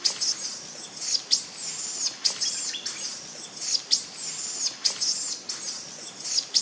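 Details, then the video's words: Loud crying from an abandoned infant monkey at Angkor Wat or Angkor Thom, Cambodia: piercing, arching squeals about once a second, some with a short rising tail, steady and insistent. "Pity Poor Baby Mile Crying Loudly Coz Mom Abandon"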